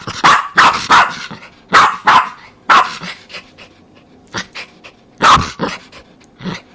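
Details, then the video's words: Jack Russell Terrier giving loud, harsh barks in clusters of two or three, with rough growly edges, followed by quieter single barks and short gaps between bursts. "Jack Russell Terrier Barking Sound Effect"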